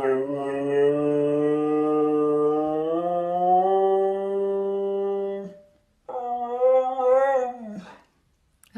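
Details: Talking Siberian Husky giving long tonal drawn-out vocals indoors: one steady, low, hum-like note slowly rises in pitch over five seconds, breaks off, then a shorter wavering higher phrase bends upward and falls away.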